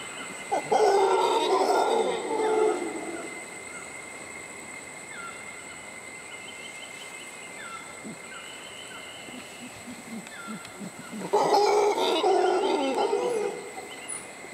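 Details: Mantled howler monkeys resting in shade a few feet from a suspension bridge at Tirimbina Biological Reserve near La Virgen, Costa Rica: two deep, rasping roaring bursts over a steady insect drone.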